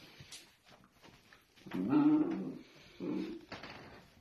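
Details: Playful miniature dachshund making two short, nasal whimpering grumbles, the first about a second long, the second briefer after a pause. Faint rustling and soft knocks fill the quiet gaps indoors.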